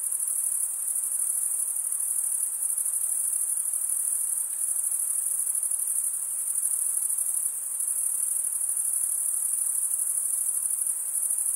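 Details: Male crickets chirping by stridulation, rubbing the top of one wing along the serrated vein of the other; a dense sustained high trill with slight waves in loudness and nothing else prominent.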